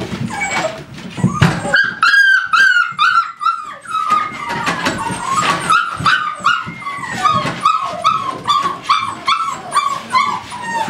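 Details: American Staffordshire Terriers at a kennel giving a dense series of shrill, harmonic yips and whines, about two or three a second, overlapping and sliding in pitch, with a woman softly cooing to them.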